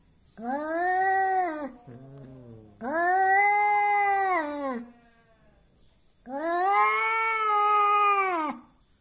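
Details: Angry domestic cat, described as always wanting to fight and acting tough and intimidating, gives three long drawn-out wailing howls, each about two seconds, rising then falling in pitch with rich harmonics, separated by short pauses with a faint low growl.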